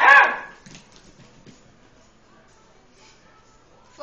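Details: Eight-week-old Beagle puppy Lucy, wary while playing with the household tom cat Itty Bitty, gives one sharp, high bark right at the start, followed by near silence with faint indoor rustling.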